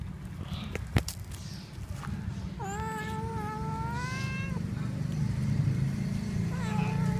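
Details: Kitten that has just caught a little mouse gives one long, steady, drawn-out meow of about two seconds, followed by a shorter, softer meow at the end, over a constant low engine-like rumble.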